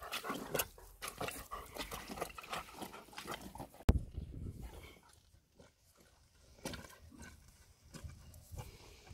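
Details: German Shepherd drinking water; rapid, wet lapping splashes repeated several times a second, a sharp knock midway, a brief pause, then more lapping, with people talking quietly nearby.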